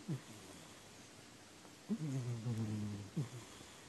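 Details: Sleeping domestic cat snoring on 4 January 2019: a brief low snort, a quiet gap, then a sustained rumbling snore of about a second ending in a quick gruff puff.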